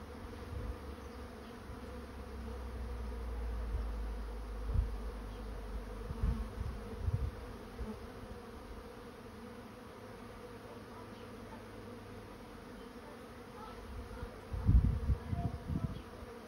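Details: Honey bee swarm moving into a swarm trap: a steady, low, droning hum runs throughout, overlaid by deeper rumbling bursts of wind or handling noise, strongest early on and near the end.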